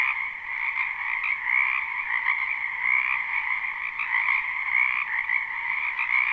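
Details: Frogs calling together in a spring wetland, captured live: a thick, throbbing wall of trills with rhythmic rises in volume and a few thin high-pitched chirps over the chorus.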